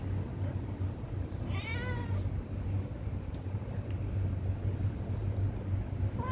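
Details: Stray cat begging for food: a short wavering meow near the start, then a long stretch of low rumbling background noise, with a faint rising note at the very end.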